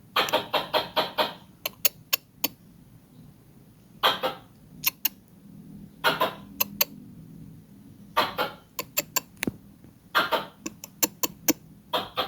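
A squirrel chatters loudly, with rapid runs of harsh chirps about every two seconds. Isolated sharp chips fall between the bursts over a faint low hum.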